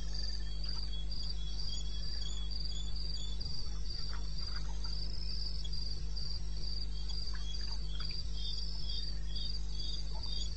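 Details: Cricket calling at 2:30 am on 21 May in the wilderness of eastern Botswana: high, steady chirps pulsing about three times a second without pause, with faint scattered insect ticks and a constant low hum underneath.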